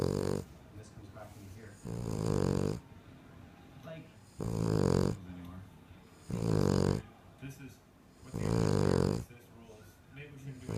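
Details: A female King Charles Cocker Spaniel (Canis familiaris) snores very loudly, with rumbling, rattling breaths repeating about every two seconds.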